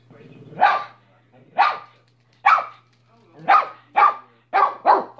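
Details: Domestic dog giving a run of single loud barks, about one per second at first, then quicker toward the end, seven barks in total over a faint low hum.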